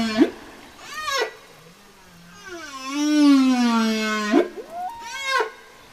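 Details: Whale song with short rising whoops, a long wavering harmonic moan that slowly sinks, then more quick upswept cries in succession.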